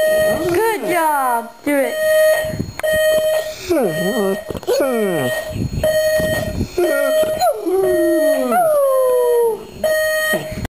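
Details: Domestic dog howling in response to an alarm clock, giving repeated sliding, wavering howls and whimpers, many falling steeply in pitch, over a regular electronic beep sounding roughly once per second.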